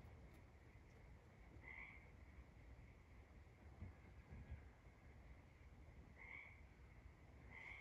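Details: Tree frogs calling at night: short bright chirped notes at about two, six and almost eight seconds, over a steady high frog chorus drone and low rumbling background noise.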